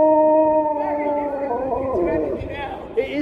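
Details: Husky named Sherpa greeting strangers and receiving biscuits, producing a long, steady, tonal howl that bends into wavering, yodel-like inflections toward the end, with human chatter in the background.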